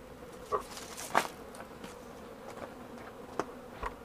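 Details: Honey bees flying at a hive on 28 March 2013 while soy flour is fed as a pollen substitute; a soft steady low hum with faint overtones under sharp clicks and knocks.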